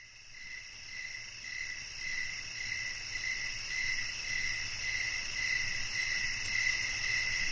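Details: Crickets chirping in a night-time nature soundscape, a clear mid-pitched chirp repeated about twice per second and growing slightly louder, over a steady high-pitched hiss of other insects.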